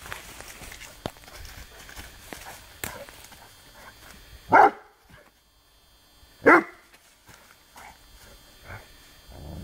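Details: In the woods, a male Rhodesian Ridgeback bays at a branch while working on a bark command: two sharp barks about two seconds apart stand out over steady rustling, footsteps and handling noise.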